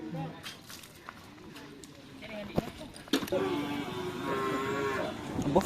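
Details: Newly brought Lombok-Bali cattle during bull race (karapan sapi) training at the Asemanis field in Pamekasan. After a few thumps and men talking nearby, a low, sustained lowing begins mid-way and holds steady, with speech and crowd noise around it.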